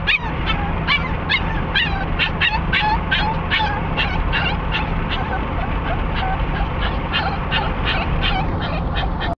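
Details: Cricket, a dog excited while riding to Sarah Park Dog Park in Lake Havasu City, lets out rapid, repeated high whines and yelps, several per second, over a constant low rumble of a moving vehicle.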